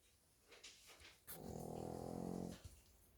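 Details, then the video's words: Shih Tzu snoring indoors: one drawn-out, buzzy, rattling snore of about a second, with a low pulsed rumble under it, set between soft faint breaths and light room noise. "코골이 시츄~~"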